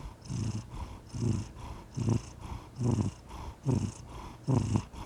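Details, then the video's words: Cat purring softly, low rumbling bursts returning about once per second with quieter gaps between breaths. "Pure Bliss: The Soothing Sound of a Purring Cat"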